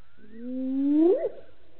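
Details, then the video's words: A lone hyena calls after drinking at Gowrie dam waterhole, Djuma Game Reserve, Sabi Sand, South Africa, at 18:57 on 09/10/18: a long, hollow, rising call that climbs steadily in pitch before breaking off. "Djuma: Lone Hyena gets drink and does some calling - 18:57 - 09/10/18"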